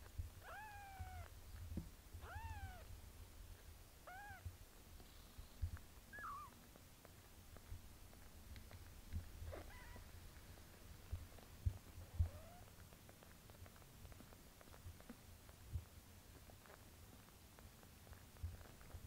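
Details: Mother cat bathing her kitten daughter; several short high mewing calls with rising-falling harmonics in the first few seconds, then sparse softer mews and licking and rustling sounds over low rumbling background.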